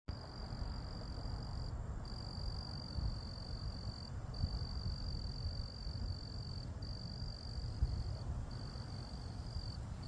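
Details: Crickets trill in a steady, high, ringing stream with brief pauses over a low rumble, on a December 17 evening at 80°F in the suburbs outside Houston, southern Texas.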